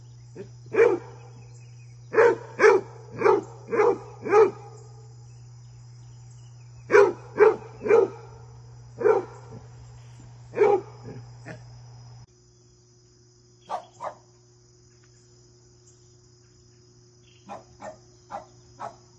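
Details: Fred, a basset hound, barks during visits from his deer friend. Deep barks come in quick bursts of four or five, with pauses between the groups. A later run is fainter and more spaced, over a steady low hum.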